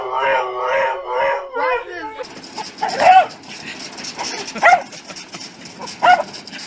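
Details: Pet dog giving three short, high, yelping barks spaced about one and a half seconds apart, after a person talks at the start; a steady background hiss runs throughout.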